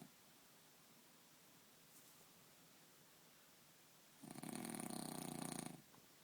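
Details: A French Bulldog, deeply asleep and sprawled on a bed for most of an hour, gives a single loud, rattling snore that swells and fades over about a second and a half.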